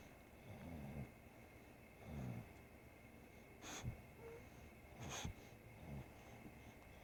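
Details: Sleeping English Bulldog Bodhi snores, low throaty rumbles recurring about every second and a half, while Scooter the three-legged cat bathes him, adding brief sharp licking clicks.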